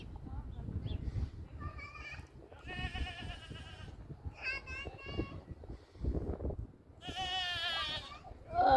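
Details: Happy goats playing in a farm pasture; several wavering, harmonic bleats sound at intervals, one long quavering cry near the end, with children's voices and shouting mixed in.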